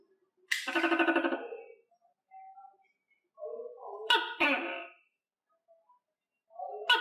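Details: Tokay gecko kept on a cricket diet calling in an uneven sequence: a long raspy note, softer low croaking fragments, then more harsh barks starting abruptly and overlapping, all indoors.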